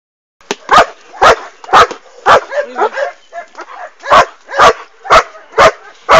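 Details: Working-line German Shepherd puppies, offspring of Boris Solidblack and Tisia de la Senda, bark in short sharp yelps repeated about twice a second, with a brief pause of softer whines and yips in the middle.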